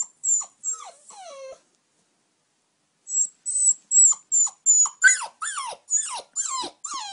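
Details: Oscar, an 8-week-old puppy wanting to sleep in the bed, whimpers in high, thin squeaks: a short burst, a pause, then a quick run of repeated falling whines, several per second, growing more insistent.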